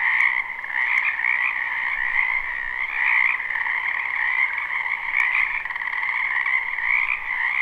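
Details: A spring wetland full of frogs, recorded live with no looping, gives an unbroken chorus of many overlapping croaks. The rattling drone swells and eases slightly, with a couple of brief ticks.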